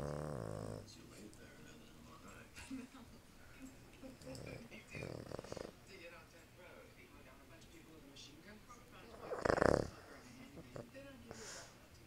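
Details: Boston Terrier. A Boston Terrier snores, each breath a soft, rough rasp with one louder snort near the end. Quiet human voices murmur in the background.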